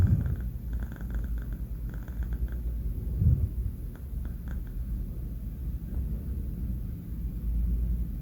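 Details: Pet cat Banh Mi, four months old and male, snores in his sleep with a low steady rumble, gentle breath pulses early on and one brief stronger snort partway through.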